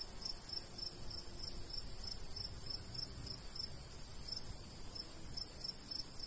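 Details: High, thin cricket chirps pulse evenly through a summer countryside scene by a golden wheat field, several pulses per second, with a soft breeze murmuring underneath.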